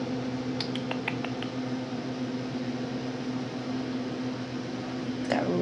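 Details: A steady indoor hum runs throughout, broken by a few sharp clicks early on and a brief rustle near the end.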